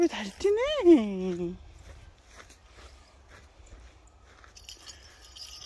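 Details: Affectionate, dog-like domestic cat giving one drawn-out meow that swells upward in pitch and then slides back down, lasting over a second, followed by quiet room noise.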